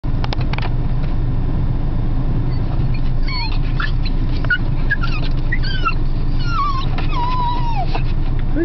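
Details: Excited female Beagle greeting her owners after a day alone; high, wavering whines and squeals in the second half, over a steady low rumble like a running engine.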